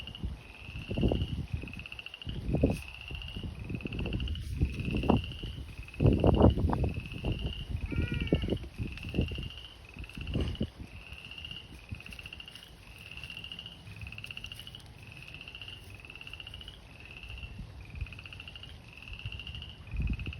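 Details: Frogs calling in spring at an abandoned fish pond known as the Slough: overlapping high pulsed trills, each about a second long, repeat steadily throughout, while heavy low thumps and rustling bursts break in over the first half.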